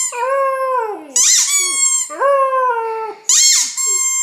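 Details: A 9-week-old female white German Shepherd puppy gives drawn-out, falling howls between loud squeaks from a toy.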